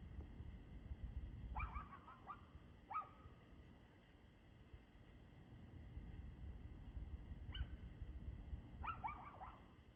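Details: Dog barking in the evening, 6:02 pm on 2/6/2024: a fast double or triple bark, another soon after, a long quiet gap, then a single bark and a final burst of several barks, distant above steady low rumble.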